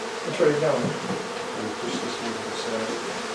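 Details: Honey bees from a hive inside a house in Aderet, disturbed during hive removal: a dense, steady droning hum persisting throughout, with a brief louder swell early on.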